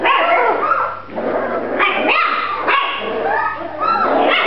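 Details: Grand Basset Griffon Vendéen puppies yelping and barking loudly, with harsh, strained yaps and rising whines following one another in a dense, irregular series, several pups calling at once.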